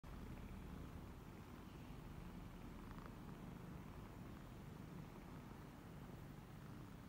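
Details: Twenty-eight-day-old kittens suckling from their mother, a former stray and first-time mother cat, in Cambodia, recorded 28 January 2020; a steady low rumbling purr runs throughout, with faint soft rustling.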